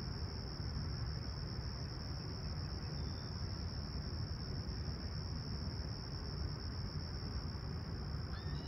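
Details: Toronto crickets on a clear summer morning, 28 July 2020, Humber Bay Shores, 20ºC. A constant high trill continues beneath a brief faint bird chirp near the end, with strong low rumble throughout.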